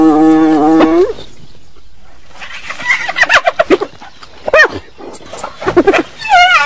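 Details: Hyena calling: a steady, low harmonic moan that swoops upward and breaks off, followed by a string of sharp, rapid, giggling yelps and a final rising, whining cry.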